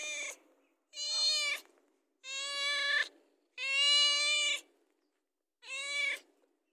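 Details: House cat asking for food, giving five loud, harmonic meows, each under a second long with short silent gaps between, the later ones steady and drawn out.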